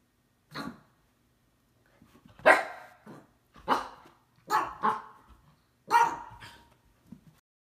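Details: Siberian husky indoors trying to wake up a resting cat, which fends the dog off; a series of six sharp barks spaced about a second apart, some with a short growly tail.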